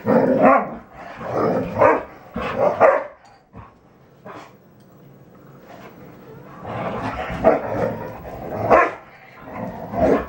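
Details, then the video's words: Red standard poodles Betty Jo, Jenny and Cayenne at play: clusters of throaty growls and yelping barks, a quieter lull in the middle, then renewed bursts of growling. "3 red standard poodles playing together"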